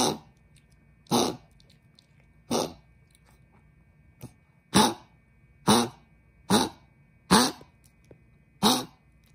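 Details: Pet dog with laryngeal stenosis coughing hard indoors before a trip to the vet: harsh broadband coughs in irregular bursts, about eight over nine seconds, with quiet gaps between.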